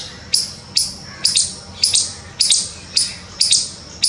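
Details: A squirrel in a tree by its nest in Poonch, Jammu and Kashmir, gives sharp, high alarm chirps about twice a second after spotting a cat or something similar below.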